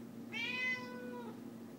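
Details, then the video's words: A single loud, stretched meow from the cat Leah asking for the chicken being prepared, rising sharply, holding, then sliding down, with faint room hum behind. "Cat Really Wants Chicken"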